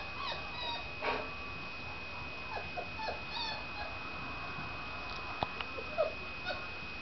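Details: Otterhound puppies, four weeks old, at play in a living room, November 2007, Blue Fairy litter: repeated thin squeaks, whines and short yips from several pups, with a few clicks and a constant electrical hum.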